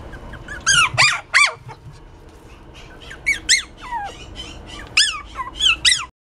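A Pomeranian puppy gives high, squeaky whines in short bursts, each note arching up then sliding down.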